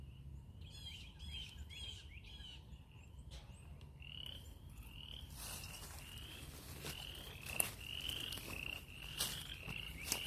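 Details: Many frogs calling near a stream on a farm: a chorus of short rising trilled notes, overlapping and repeating about twice a second, with low rumbling background noise throughout.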